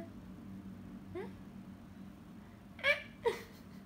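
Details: Musya, a clever pet cat, replies indoors when asked what is wrong: one soft upward-sliding meow, then after a pause two loud, short harmonic meows in quick succession, with low household hum beneath.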